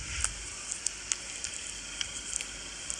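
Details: Only a steady hissing, crackling noise with scattered faint clicks and ticks is heard, with no animal voice.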